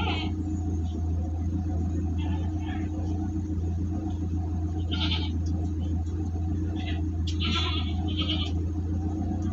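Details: Large goats being shipped near Singosari, Malang, Indonesia, bleat in short bursts, mostly in the second half, over a steady, loud low engine rumble from the transport vehicle, with faint human voices.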